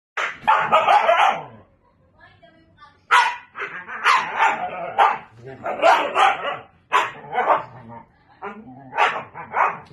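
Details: A Siberian Husky teasing a Belgian Malinois vocalizes in bursts of wavering, almost speech-like yowls mixed with sharper barks, each lasting a second or two with brief quiet gaps.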